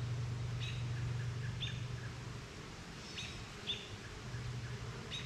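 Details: Honey bees working at a backyard hive, flying out for pollen and back. A low, steady buzz hums through the first half and returns near the end, with short bright bird chirps scattered above it.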